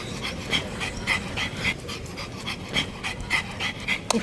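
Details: Pug panting in quick, breathy bursts, about two per second, with bright hissing edges and a slightly uneven rhythm, over a faint low background hum.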